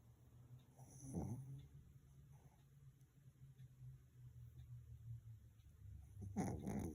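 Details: Sleeping Pomeranian snoring; low, soft rumbling breaths repeat steadily at a quiet level, with a louder snort near the start and a rustling burst near the end.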